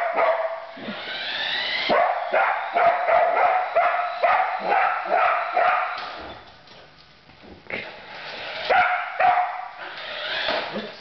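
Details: Female Border Collie chasing her new remote-controlled truck, a Christmas present, on first play; rapid runs of sharp barks and yips, roughly two per second, pausing midway, with background noise and a voice.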